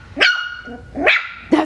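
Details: Five-week-old Coton de Tulear puppies giving three short, high-pitched, sharp barks, about half a second apart, each with bright ringing overtones; faint room noise between barks.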